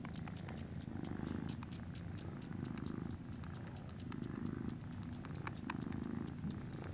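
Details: Norwegian Forest Cat kittens at a breeder, dated 19 January 2017: a rhythmic low purr that swells and fades in cycles of roughly one and a half seconds, with many sharp ticking clicks on top.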